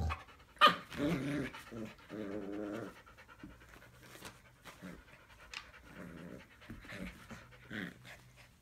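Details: A 3-month-old male Siberian Husky puppy, rescued from a puppy mill, gives wavering, moaning vocal bursts, inviting an older black Labrador to play fight.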